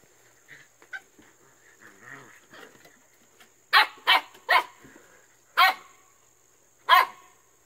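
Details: AKC Siberian Husky puppies at play with an old towel on the whelping house deck, soft grumbles and yips at first, then five loud high sharp barks spaced roughly half a second to a second apart, with a faint steady hum behind.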